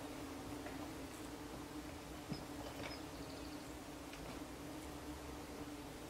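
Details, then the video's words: Bumblebees on a homestead give a low, steady, droning buzz throughout, with a few faint, high bird chirps. "homestead moment 5: the sound of the bumblebees"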